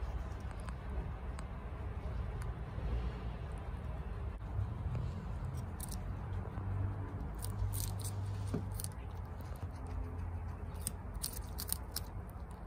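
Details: Chia, a female pet guinea pig at home, eating bok choy fast: scattered crisp crunching clicks and bites from munching leaves, spread over a steady low rumble in the background.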